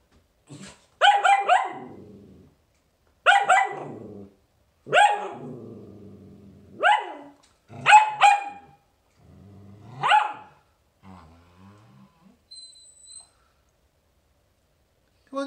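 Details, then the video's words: Ginger, a poodle that did not want to shower, barks in loud, sharp bursts, some single and some doubled, spaced one to two seconds apart with brief quiet gaps, and fainter grumbling barks near the end. "Poodle didn't want to shower"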